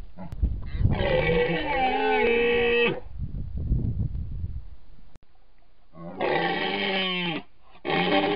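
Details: Rutting red deer in Iran's North Central Alborz protected area near Nowshahr, recorded by camera traps set by rangers as males compete with roars to mate. A long groaning roar, a quieter rumbling stretch, then two more harmonic roars.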